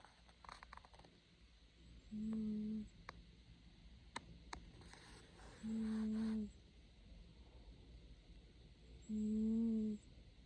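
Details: Cat asleep and snoring, three even, low droning snores spaced about three and a half seconds apart, each steady and under a second long, with a few faint clicks in between.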